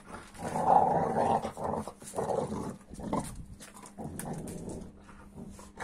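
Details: Amstaff making odd reaction noises at a 15-week-old Kuvasz puppy; a loud grumbling, whining growl opens the passage, followed by several shorter rumbling bursts that fade into quieter snuffling.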